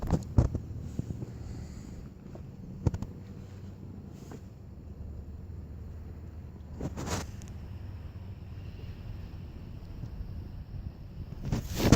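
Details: Outdoor backyard ambience of low rumbling wind and distant vehicle noise with a few handling knocks, and no animal sound heard.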